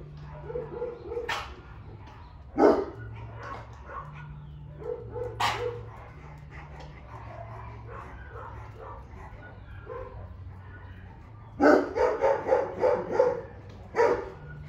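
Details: Four Golden Retrievers together at a dog zoo, filmed in March 2022, give short, sharp barks and yips, with a quick burst of several barks near the end.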